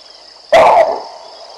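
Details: Baboons barking in alarm at a male lion strolling along the Olifants River in the African bush. A single loud, harsh bark lasts about a third of a second, with a steady high insect hum in the background.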